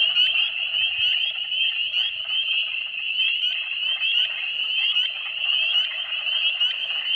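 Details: Spring peepers (Pseudacris crucifer) at night in early spring 2022, peeping like crazy in a dense advertisement-call chorus of high, piercing peeps overlapping into a continuous shrill ringing.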